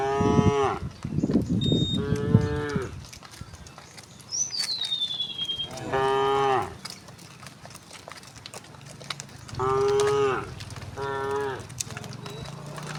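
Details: A herd of cows returning home through village streets in the morning, with repeated moos, several overlapping harmonic lows in bursts about every two to four seconds, a bird whistle in between and background rustle.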